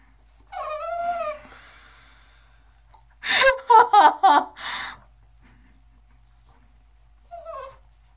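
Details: English Bulldog, Boxer and Pug mix pup named Miss Lucy, eager to join her owner in the tub: a wavering whine, then a burst of quick yelping whimpers and a final brief whine in a small room.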